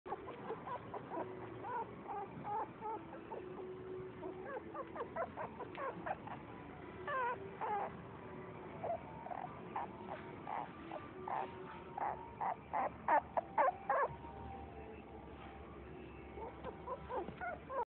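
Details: Poodle in a pet shop at Kuzuha, giving high thin whimpers and short yelping cries, loosely repeated throughout and bunching into a quicker run of sharp yelps near the end; no other clear sounds.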